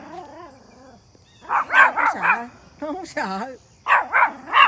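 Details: A Pomeranian, one of three, barks at a big deer in the back yard in quick bursts of sharp, high-pitched yaps, with a person's voice in between.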